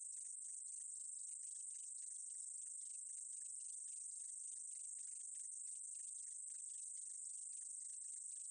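A meadow katydid gives a steady, high, hissing buzz broken by faint rapid ticks.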